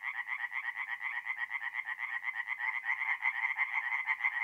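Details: Tree frogs in song after dark at an April forest pond in north-eastern Italy, brisk grating croaks pulsing around twice a second, several voices overlapping into one steady rattle.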